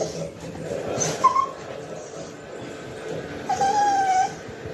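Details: A male Cocker Spaniel puppy gives high, drawn-out whines at dinner time, a mealtime plea for his food.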